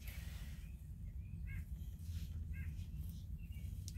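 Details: Two-day-old Black and Tan Coonhound puppies with their mother Louise. Short, thin, high squeaks come in small clusters about once a second, some doubled, over a steady low rumbling hum.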